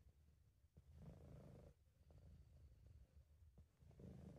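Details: British Shorthair cat named Sabu purring while relaxed and content, recorded at home by an amateur; low rumbling purr in long swells, each breath cycle about a second, with faint clicks between.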